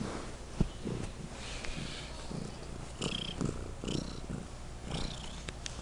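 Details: Loud purring from a domestic pet cat: a continuous low throbbing rumble with rhythmic in-and-out pulses, plus a sharp click near the start and faint high squeaky sounds in the background.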